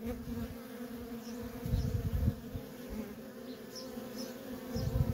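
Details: Honey bee workers streaming in and out of a feral colony give a dense, steady drone, louder rumbling surges around two seconds and at the end, light high chirps scattered above.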